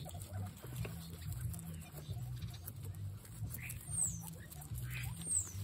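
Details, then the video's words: Several excited guinea pigs give a low, pulsing, stuttering rumble throughout, broken by occasional brief squeaks and two thin, high, falling squeals near the end. "Exited Guinea pigs make noises"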